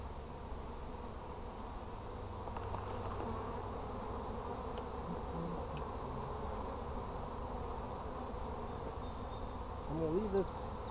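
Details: Honey bees droning inside a hive during an inspection on 17 July 2020: a steady, dense, low hum with layered tones. A man's voice and a faint rustle come near the end.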